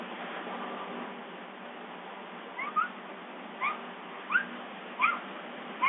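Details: Summer, a captive bobcat at Big Cat Rescue, waiting for breakfast: after a quiet start, short rising chirps with faint upper overtones come about once a second, five in all, over a steady low background hiss.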